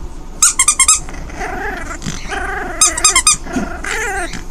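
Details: Delia, a five-week-old orphaned foster puppy, plays with her toys indoors; wavering tonal growls sit between sharp clusters of high squeaks, two squeak bursts framing the growling.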